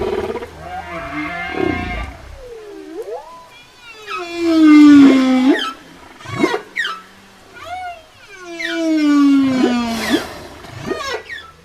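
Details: Whale song for communication: a dipping moan followed by two loud phrases of descending, richly harmonic groans, each broken by brief upward chirps, separated by quieter pauses.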